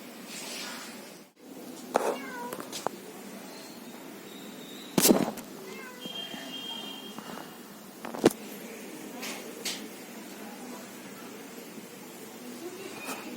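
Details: Domestic cats, a male and a female, exchanging meows: several short rising-and-falling mews spread across the stretch, with occasional sharp clicks and knocks and faint voices in a small indoor room.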